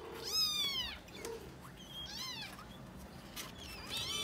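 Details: Five tiny kittens exploring a new box give high, thin mewing calls that arch up then fall, several voices overlapping in quick succession over a quiet background.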